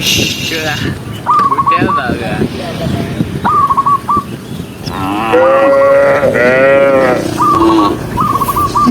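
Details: Tame cows running together down a green hill during herding, giving loud, long, wavering moos near the middle of the clip, with clipped whistle phrases repeated between calls and steady background noise.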